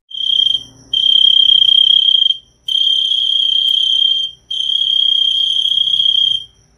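A cricket trills in long, steady high-pitched bursts separated by brief pauses.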